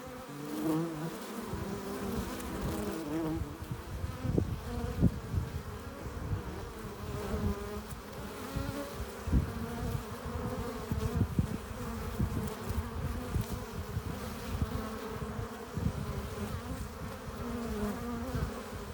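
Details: At a hive entrance, honey bees arriving with pollen and nectar fill the air with a dense, steady, low drone of overlapping wingbeats.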